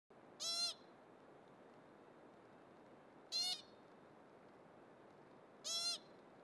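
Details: An American pika on the Skyline Trail at Mount Rainier, Washington, gives short, nasal, bleating eeps a few seconds apart, calling to a nearby pika, possibly alerting to hikers or a calling Swainson's hawk.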